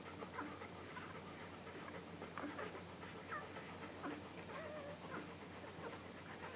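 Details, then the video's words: Nursing English Golden Retriever puppies, just under one week old, filmed July 15, 2012. Irregular soft suckling noises mixed with short high squeaks and whimpers from the pups, a low hum beneath. "English Golden Retriever Puppies Nursing"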